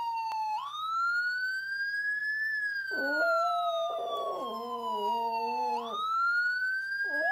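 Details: Miniature schnauzer puppy singing along to police sirens, howling in drawn-out wavering tones for about three seconds beneath a loud wailing siren that rises and falls throughout.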